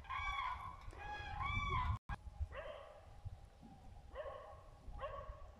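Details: Dachshund voices drawn-out, rising-and-falling whines followed by shorter, sharp upward yelps repeated at irregular intervals, with low rustling noise behind.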